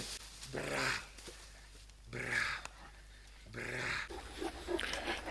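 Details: Two Great Danes in a forest, walking down through fallen leaves and sent to search for a lost mobile phone. Three drawn-out, low, moaning vocalisations, each about half a second long and spaced roughly 1.5 seconds apart, with rustling between them.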